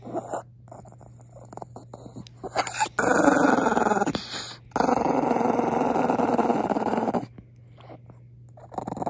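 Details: Pongpong, a Maltese, growling in anger after being kissed, inside a home; soft grumbling builds into two long continuous growls, the second lasting nearly three seconds, then quiet.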